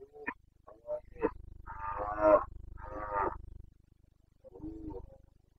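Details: Carpathian red deer stag in Bucovina during the rut, 29 September 2022: a series of short grunts builds into two loud, rough, harmonic roars, then a softer closing bellow, over a steady low pulsing hum.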